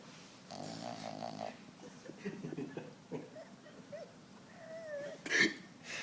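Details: Five-month-old Boston Terrier puppy asleep on a person's arm, snoring: a short burst of rough, pulsed nasal rumbles, then softer breathing noises under quiet human speech in a small indoor room.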